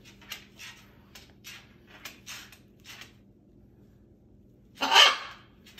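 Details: Puppies indoors: a run of short, dry, clicky scratching sounds through the first three seconds, a quiet pause, then one loud, harsh, broadband yelp near the end, all over a low steady hum.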